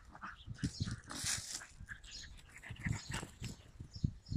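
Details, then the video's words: Yakutian Laika recorded in June 2021: rough, low, broadband vocal bursts, irregularly spaced and grunting, with a few higher breathy noises mixed in. "Yakutian laika"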